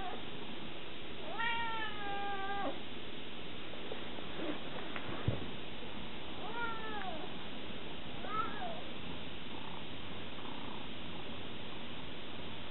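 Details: Scirocco, a Savannah cat aged 20 weeks, lets out one long, drawn-out meow, then a shorter rising-and-falling meow and a brief chirp, with quiet pauses and a dull knock between them.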